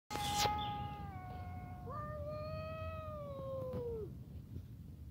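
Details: Stray cats: a long, clear, tonal meow held steady, then a second drawn-out wailing meow that rises sharply and slowly falls over about two seconds, over low rumbling background noise.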